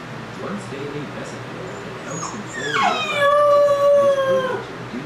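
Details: Puppy alone for the first time: soft whimpers and snuffles, then a howl that swoops down and holds a steady mid-pitched tone for over a second before fading.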